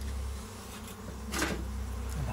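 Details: Local honey bees inside a goat shed at a farm house, found during bee hunting for local honey; a low steady hum with a faint harmonic band, broken by a sharp knock and handling noise midway.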